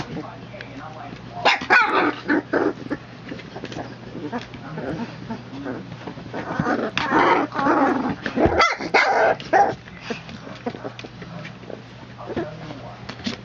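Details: Three-week-old puppies from the Legendary Phantom and Lavish Habits litter, born September 22, 2014, play-fighting together with clustered high yips and short gruff growly bursts, human voices heard in between.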